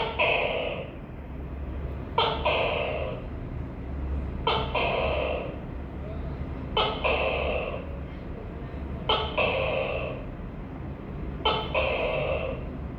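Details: Repeated two-part calls of a tokay gecko: five calls at a steady pace about every two and a half seconds, each a short abrupt onset followed by a drawn-out, reedy, harmonic note, with a faint low hum throughout.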